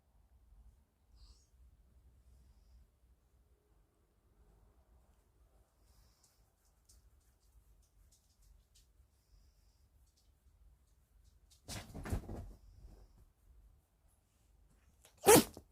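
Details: Pet dog being stroked, sneezing at the end: long near-silence with faint low rumble, a soft breathy rustling burst around twelve seconds, then one sharp, very brief explosive sneeze just before the close.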